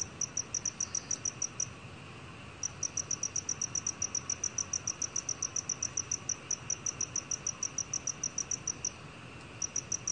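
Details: Black cricket chirping in a 2020 recording from Korea's National Institute of Biological Resources: bright, sharp pulses repeat quickly in runs separated by short gaps, against a soft hiss.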